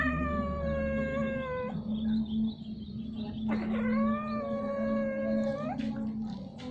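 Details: Domestic cats mating, repeatedly and at length: long drawn, strained wailing yowls with rich harmonics, one held about two seconds and dropping at its end, another swelling up and sliding down, over a steady low hum.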